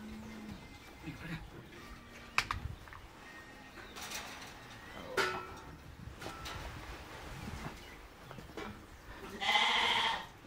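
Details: One-month-old calf, Jersey or Holstein, on a farm in El Salvador during a calf parade: a short, strained, harmonic bleating bawl near the end, with people giving handling instructions in Spanish and clicks and knocks throughout.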